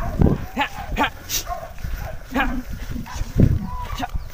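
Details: Hunting dogs, released one by one into bushes, bark while chasing wild boar, with hunters following the sound; short, sharp yelping barks come in quick irregular bursts, mixed with men's voices calling out close by.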